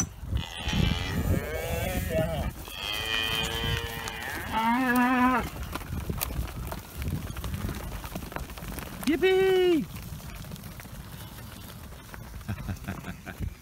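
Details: Dexter cattle, bored of their grazing, keep calling after a gate to new grass is opened in the early morning; several moos in the first five seconds, then one more near the ninth second, over background rustling and a person's voice.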